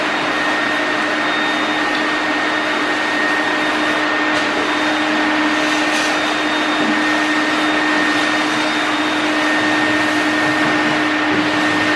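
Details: Loud constant whir like a vacuum cleaner or fan, with a steady tone, runs from start to end without any animal sound.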